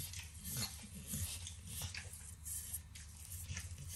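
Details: Max, a 9-year-old Pit Bull, licks and nibbles overcooked bacon as a treat in a kitchen; quiet wet smacking and soft crackly clicks come in a loose irregular rhythm over a low steady room hum.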